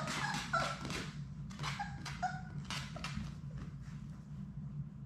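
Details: In their indoor play room, Sadie's six Labrador Retriever puppies romp; brief yips and short whining squeaks break out irregularly between thumps and scrapes of play, with a low electrical hum underneath.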